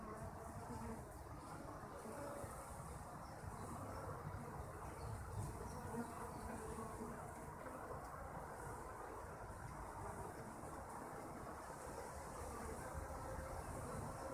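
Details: Kept honey bees making a steady, dense droning hum, low and broad, with no clear breaks across the whole stretch and a faint higher hiss above.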